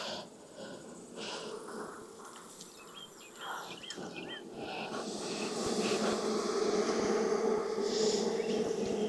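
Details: Honey bees at a backyard hive in Texas during an inspection on a hot day near 92F, after three weeks of rain: a steady low droning hum that grows louder in the second half, with short high bird chirps above.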